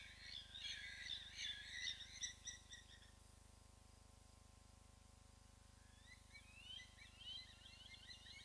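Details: African wild dogs at Hyena Pan Camp in the Khwai Private Reserve, Okavango Delta, Botswana, give high, bird-like twittering chirps in quick bursts over a steady engine hum.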